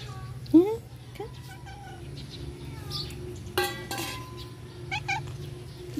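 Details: Fed stray cats mew in short rising cries early on, then scratchy noises, a voice and a couple of quick chirpy mews near the end, with a low steady hum throughout.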